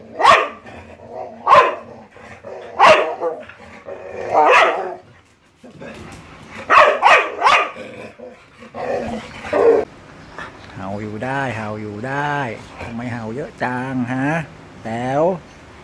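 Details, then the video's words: Siberian husky and Labrador dogs at play, giving sharp, loud barks in quick bursts over the first seconds, then a second run of barks, followed by drawn-out whining, harmonic vocal sounds toward the end. "Play with siberian husky and Labrador หมาชวนเล่น"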